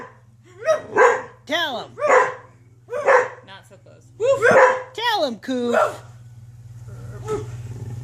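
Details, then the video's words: Pet dogs bark in an irregular series of about nine sharp, rising-and-falling barks over roughly six seconds, then fall quiet, with a steady low hum underneath and a person speaking briefly. "Barking with my DoGGs"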